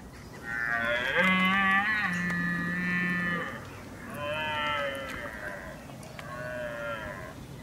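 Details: Red deer stag in October 2023 roaring: a loud, drawn-out harmonic bellow of about three seconds, then two shorter, lower groaning roars, over a quiet background.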